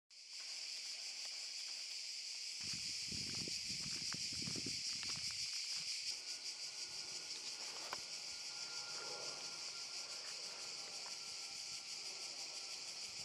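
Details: Cicadas in Park Šuma Musapstan, Zadar, Croatia, in August 2014: a dense, steady high buzzing chorus that continues throughout, with a burst of low rustling or handling noise early on and faint clicks.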